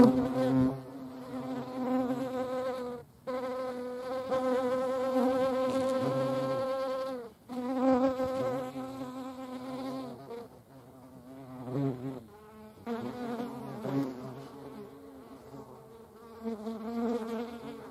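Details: Flight buzz of a European hornet near honeybees: deep droning hum swelling and fading in bursts, set against a higher, rich buzzing from bees, with brief near-silent gaps between passes.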